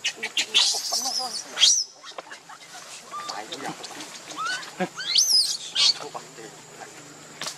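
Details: Baby monkey Lucie, hungry and needing milk, cries while foaming at the mouth; shrill, high-pitched squealing cries come in bursts near the start and again later, rising and falling sharply, with quieter murmuring sounds between.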